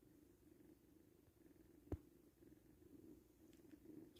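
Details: Five kittens nursing together, a steady low rumbling purr-like drone running throughout, broken by one sharp click near the two-second mark and a few faint soft ticks toward the end.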